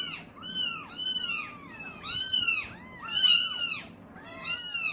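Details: Clamouring for milk, Norwegian Forest Cat kittens at a cattery give loud, high, bowed meows in overlapping bursts roughly once a second, several voices calling at once in a small indoor space.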